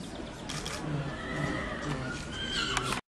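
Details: Holsteiner bay gelding showjumper, born 2006, sired by Cascavelle: a drawn-out tonal whinny, its pitch sliding slowly downward over about two seconds, heard against steady broadband background noise with a few short knocks.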